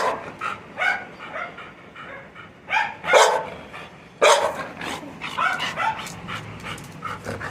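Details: Labrador Retriever barking repeatedly indoors, short harsh bursts arriving irregularly, roughly once a second in places, with a person talking nearby between the barks.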